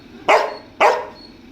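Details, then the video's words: Pet dog named Veera stubbornly barking to be let into the air-conditioned room; two loud, full barks about half a second apart, each trailing off quickly, with a faint household hum behind. "வீரா ஏசி ரூமுக்கு போகணுமா அடம் பிடிக்கிறார்"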